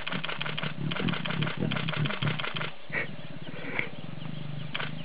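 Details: Lion pair in the Sabi Sands, South Africa, a lioness trying to lure a tired, uninterested male to mate: a deep, rapidly pulsed rumbling growl runs for most of the stretch, with sharp clicks and faint rustling around it.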